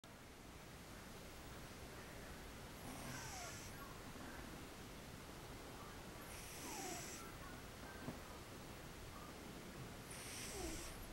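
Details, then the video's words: Sleeping cat snoring: a soft hissing, breathy exhale repeating about every three and a half seconds, over steady low background hiss. "Snoring Cat"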